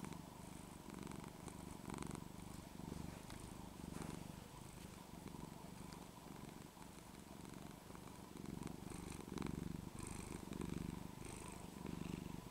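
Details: Domestic cat named Penny in Texas on a cold day, purring hard while the scruff of her neck is shaken and gently pulled back; a steady low rumbling purr pulsing in waves, with faint rustling and small clicks.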